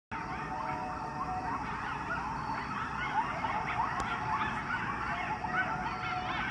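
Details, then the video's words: Coyotes in Chicago sounding like hyenas: an overlapping chorus of high, wavering yips and warbling, quavering howls rising and falling continuously, over a steady low background rumble. "CHICAGO COYOTES OUT HERE SOUNDING LIKE HYENAS"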